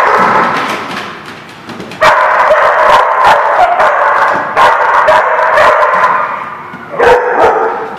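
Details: Barking dog recorded at The Barking Lot, 23 December 2016, with a rapid, uneven run of short yapping barks, several close together, against a continuous droning background noise.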